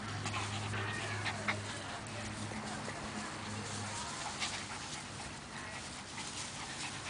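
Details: Five-week-old Siberian Husky puppies playing outside pant, whimper and give small squeaky yips over a low steady hum.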